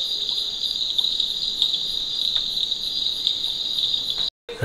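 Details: At night around 8 pm in the monsoon season before rain, at Aritar, East Sikkim, 4,600 ft up, small insects hold a continuous shrill high buzz like crickets. It cuts off abruptly, then a brief rustle follows.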